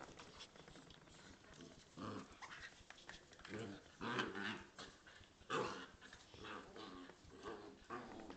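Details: Playful growling between a Corgi and a Scottish Terrier indoors, coming in short rough surges about every second or two, strongest near the fourth and sixth seconds, with some background voices and scuffling.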